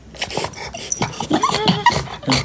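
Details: Chow Chow dog whimpering in a few short, high, wavering squeaks over about a second, with scattered clicks and household noise around it.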